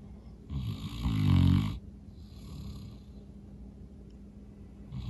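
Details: Tired St. Bernard, Norman, asleep after a long day of outdoor play, gives one loud guttural snore lasting about a second, then quiet raspy breathing and the start of another snore at the end.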